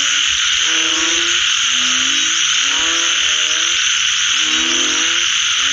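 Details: Several frogs croak after rain, their low, stacked, slightly upward-sliding calls clustered in bursts every second or so, beneath an unbroken loud high-pitched buzzing wall of sound.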